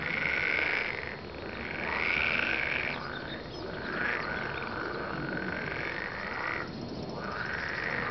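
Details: Croaking frogs in a pulsing chorus, with rattling trills swelling and fading roughly once a second. Now and then a louder, higher call rises above the rest.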